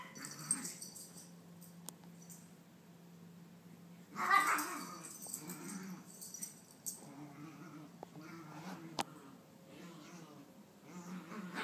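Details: Nine-month-old female Maltese pet going wild after her tail following a bath; a loud huffing growl in the middle, then a string of softer, undulating growls, with occasional taps and clicks indoors.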